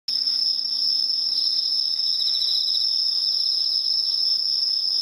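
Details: Bell crickets sing a steady, high ringing tone without a break. Fainter pulsed trills rise and fall beneath it in the middle of the stretch.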